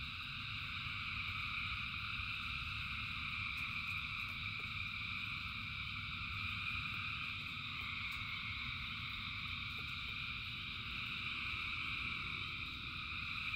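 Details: A continuous wall of frog song in rainy weather: many voices blend into steady pulsing trills at several pitches, with occasional faint clicks and a deep rumbling rain noise underneath.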